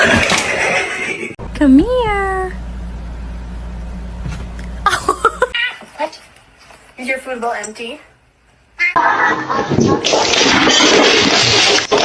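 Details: Domestic cat indoors giving one loud, drawn-out meow that rises and then falls, followed by shorter, fainter mews, with people talking and laughing before and after and bursts of noisy clatter.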